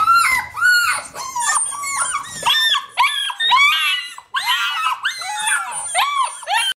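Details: Six-week-old Alaskan Malamute puppies cry out to their reluctant mother for a feed; a dense chorus of high, bending howls and yips, each rising then dipping, overlaps almost without pause, with a brief low rumble at the start.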